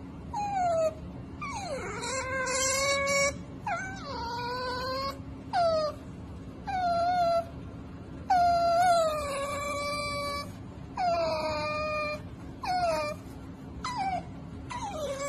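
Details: Pet cat meowing insistently, about nine calls in quick succession, some swooping downward and others held level, rich in overtones, with short gaps between them and a constant background hum.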